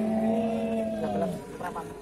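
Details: Cattle at Pasar Sapi Bumiayu (Pasar Wage), a livestock market in Bumiayu, Indonesia, on a Wednesday market day: a long low moo holding steady then sagging slightly over about a second, with men talking and traders' chatter around it.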